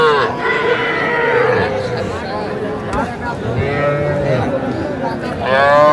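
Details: Young bull and heifer calves at a livestock market where farmers from Comilla, Bangladesh, buy on 11 January 2025: harmonic, wavering moos rise and fall through the clip over crowd chatter and bargaining voices.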